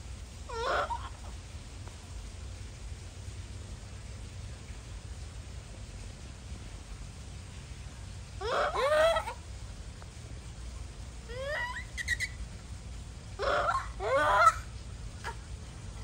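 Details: Japanese macaque giving scattered, quieter screams and whimpering cries, short harsh bursts separated by several seconds of near silence with low background hum.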